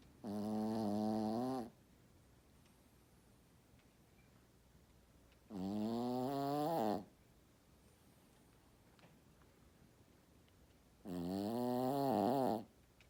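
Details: Sleeping Shih Tzu snoring indoors: three drawn-out, harmonic-rich snores, each about a second and a half long and roughly five seconds apart, with gently rising and falling buzzy tone and quiet pauses between breaths.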